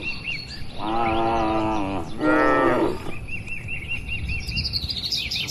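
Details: Cattle herd wandering and feeding on grass in an open pastoral landscape; two loud, steady moos of about a second each, followed by a run of repeated high chirping from birds.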